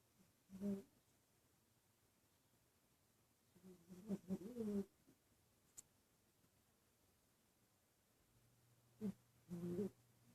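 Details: Dreaming in her sleep at the office, female dog Asta makes short muffled whimpering snores: one near the start, a longer wavering run midway, and two more at the close, with quiet room between.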